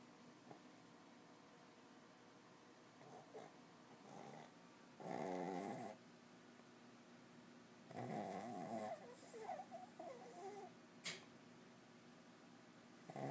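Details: Little dog snoring: irregular loud rasping snore bursts about a second long separated by quiet pauses, with a few short snuffles and a sharp click near the end.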